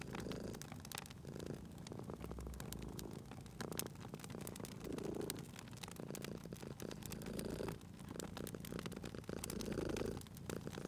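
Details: Gentle purring from a sleeping cat by a crackling fireplace, a quieter low rumble swelling in breath-length waves beneath frequent pops and snaps of the fire.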